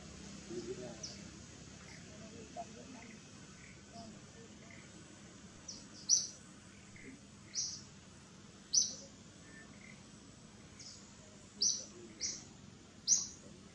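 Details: Infant monkey Gigi cries for its mother Gladdis, letting out sharp, very high-pitched squeaks repeated at uneven intervals, several clustered in the second half, with faint low rumble underneath.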